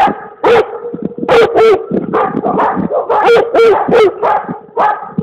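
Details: Komondor barking in a rapid, insistent run of about ten deep, harmonic barks, some doubled, with barely a pause between them.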